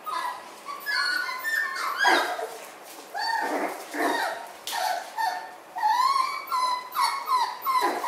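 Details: Indoor group of Miniature Schnauzer puppies, three litters together; clear whimpers that rise then fall, some short and yippy, mixed with soft breathy rustles and repeated in uneven bursts.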